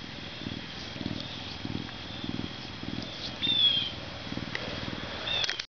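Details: A captive male Canada lynx, zoo-born in May 2011 and weighing 40.5 pounds as he gains mass and fur for winter, purrs in a low, rumbling rhythm, pulsing about twice each second.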